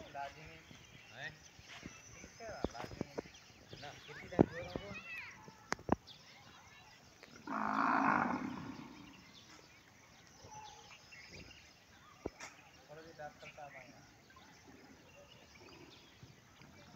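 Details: Cow mooing once around the middle, a loud broad low call lasting about a second, amid light speech, rustling and scattered clicks and knocks in the background.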